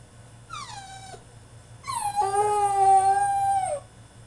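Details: French Bulldog throwing a tantrum in his cage: a short falling whine, a pause, then a longer loud drawn-out howling whine with rich harmonics, held steady for about two seconds before cutting off.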